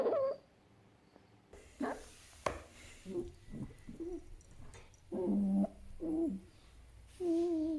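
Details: Fennec fox calling in short bursts: several whiny, harmonic cries around the low-middle range, some steady and some wavering, separated by brief gaps with quiet shuffling sounds between them.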